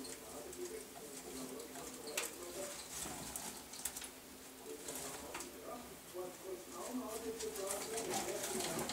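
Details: Male pet degus with a hemp mat make short, low, warbling notes in quick uneven strings, with crisp rustling and tapping sounds throughout and slightly busier calling toward the end.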